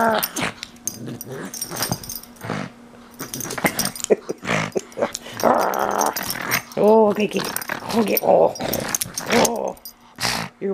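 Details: Pet pug mauling his stuffed toys indoors, making a run of throaty growls and snorting grunts with a few higher whiny, wavering yelps, while a woman talks to him over the top.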